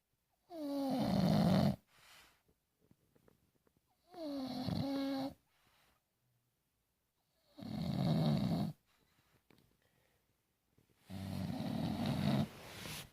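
An English bulldog snores heavily, each drawn breath a coarse, rattling rumble lasting over a second. The bursts come at a slow, steady pace in an otherwise quiet room.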